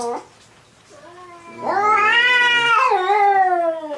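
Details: Black-and-white cat and a rival in a third fight: a short cry, a quiet pause, then a loud, strained yowl that rises, wavers and trails off downward.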